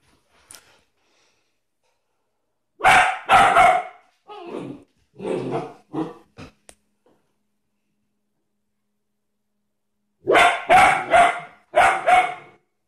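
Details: German Shepherd barking indoors, two bursts of loud, harsh barks in quick groups of three to four, separated by a long quiet gap with some lower, rougher barks between.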